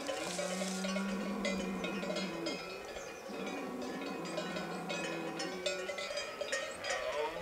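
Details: Deep, sustained roars of a red deer stag in the breeding season, late September in the Pyrenees, set against a dense jangle of cow and horse bells from the mountain summer grazing grounds.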